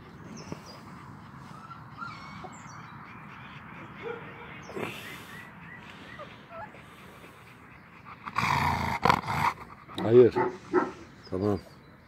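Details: Three-week-old purebred Kangal puppies of wolf-guarding stock: thin, high whimpers and squeaks come in short, irregular bursts over quiet background, then louder broadband bursts of handling noise, with women talking in Turkish nearby.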